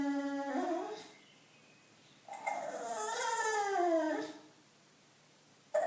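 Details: Bulldog Loetje, indoors and wanting attention: a short falling whine, a pause, then a long, wavering, sob-like howl that swells and dips over two seconds before fading.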